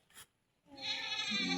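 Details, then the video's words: Goat calling while being fed, a tiny tap first, then a loud, sustained, nasal bleat that holds steady for most of a second. "Pakain ng kambing"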